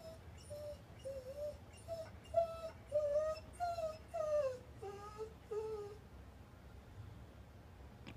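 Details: Dog in time out, confined to a corner after misbehaving indoors, whimpering in a string of high, tonal whines that slide downward and waver, several per second for about six seconds, then quiet room.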